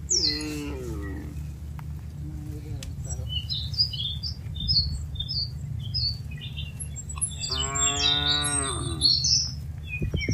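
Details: Tame cattle herded from a broad green pasture to their pen: two drawn-out, harmonic moos, one at the start and a longer one later, over a constant low rumble of movement and scattered high bird chirping.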